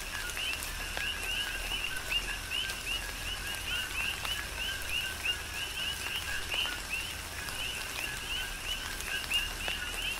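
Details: Tropical rain shower on Hawaii's Big Island with a chorus of coqui frogs: overlapping two-part calls, a short low 'co' followed by a bright upswept 'qui', repeating several times a second across the group, over soft rain hiss and drips.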